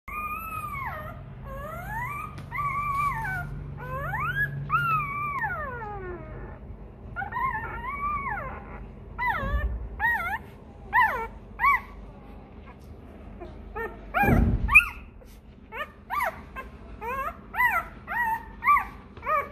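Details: A hungry Rottweiler puppy whines for milk, crying for its mother to feed it, in high, drawn-out cries that rise and fall.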